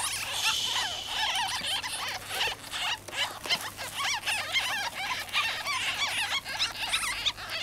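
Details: Several young ferrets out of their cage, calling in a flurry of shrill, quick squeaks and chirps, overlapping and repeated fast throughout.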